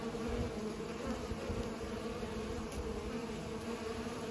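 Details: Pollinating bees hum in a dense, unbroken drone, layered tones rising and falling slightly as individuals move about, with a low background rumble.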